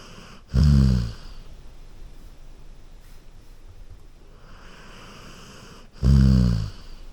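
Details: Golden Retriever dozing on a couch snores twice, each a deep, buzzing rumble of about half a second, roughly five and a half seconds apart, with soft breathing between.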